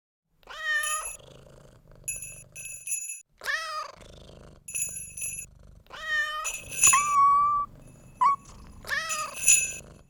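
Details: Domestic cat meowing in a series of drawn-out, harmonic-rich meows with falling tails, broken by steady high ringing tones and a brief chirp-like note, with a soft low rumble between calls.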